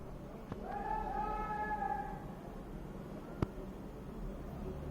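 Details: Five-day-old golden retriever puppies twitching and making funny noises: one drawn-out, tonal whine lasting about a second and a half, held steady then sliding slightly down, over a low background hum.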